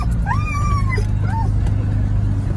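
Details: Loki, an excited Siberian Husky in a car arriving at a busy park, gives a high, drawn-out howl that rises, holds, and drops, then adds a short yelp.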